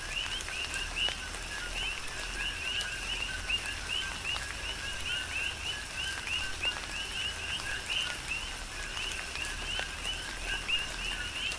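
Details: Big Island, Hawaii: many coqui frogs chorus through tropical rainfall, each giving a short low note followed by a rising whistled chirp, the calls overlapping continuously over the hiss and tap of raindrops.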